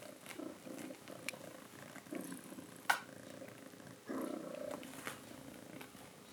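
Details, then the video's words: A mother cat summons her kittens to drink milk with soft rhythmic pulsed purring trills. A stronger burst begins just after four seconds, and a sharp click sounds near the three-second mark. "Mother cat calls her kittens to drink milk"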